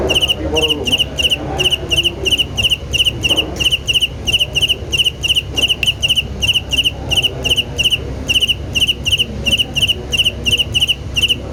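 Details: Rhythmic cricket chirps, shrill and ringing, each a quick cluster of three pulses, coming evenly about twice a second against a soft, low rumble.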